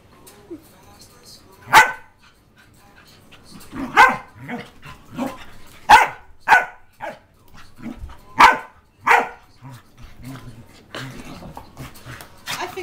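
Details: Two tri-colour Pembroke Welsh Corgis play fighting, not actually hurting each other, trade sharp, gruff barks and growly yaps in irregular bursts.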